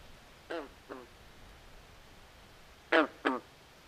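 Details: A nighttime swamp with calling frogs: two soft, rasping quacks, a pause, then two louder, harsher croaks close together against a low background hush.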